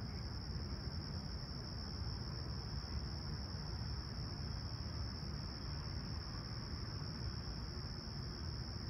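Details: Crickets at a clear, calm summer sunrise at Humber Bay Shores, Toronto, on 28 July 2020, 20ºC: an unbroken, steady high-pitched trill runs throughout over a heavy low rumble of background noise.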